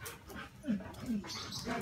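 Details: Alaskan Malamute during mating, giving two short rising whimpers close together, with speech and background noise around them.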